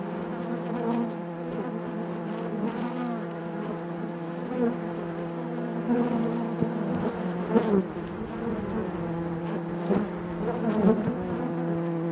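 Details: Inside a honey bee hive: a continuous layered drone with steady low tones and overtones, punctuated by short clicks and louder flickers of wingbeats as individual bees pass close.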